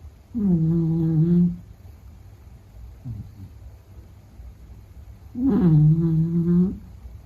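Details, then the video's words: Meta the Beagle sleeping and snoring, two long droning snores over a second each, low and harmonic-rich, separated by a faint quiet breath in between, indoors. "比格犬睡觉白噪声 Snoring"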